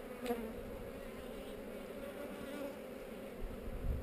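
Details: Close-up of a honey bee colony's continuous buzz, recorded with a GoPro during an inspection of a hive set among heather; an even, two-layered hum, with a brief scrape at the start and a low thump at the end.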